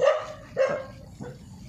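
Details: A street dog barks at men with three sharp, rough barks, each a short burst spaced about half a second apart.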